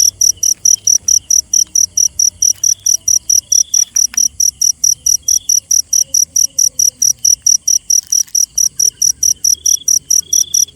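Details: Cricket calling at night: a long, regular train of bright, shrill pulses, around forty-five in under eleven seconds. A softer continuous trill hums in the background, with a few faint knocks.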